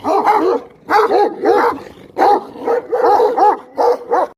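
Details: Dog giving a quick series of about nine barks, often paired, each with a tone that rises and then falls, with short silent breaks between the pairs.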